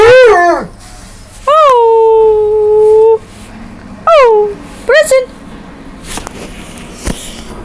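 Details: A pet dog gives a series of howls, each swooping up sharply then settling into a steady held tone, some long and some clipped short, separated by pauses with faint background noise.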